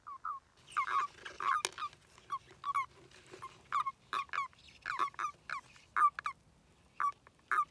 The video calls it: 'Fluitende' padden